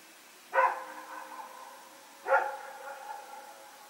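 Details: Dogs Rex and his companion barking while running around at night, Sep 21, 2018. Two single harsh barks spaced under two seconds apart, each ringing briefly before dying away into faint background noise.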